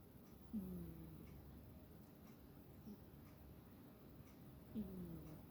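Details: Sleeping pet cat snoring softly: two low, buzzy snores, each sliding gently downward and about four seconds apart, with faint breathing between them in a quiet indoor room.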